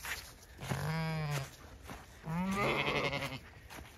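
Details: Zwartbles ewes on a regenerative farm in County Kilkenny, Ireland, bleating as a fresh hay bale is scattered before freezing rain; two long wavering bleats, the second higher and harsher, with a man's voice and faint music.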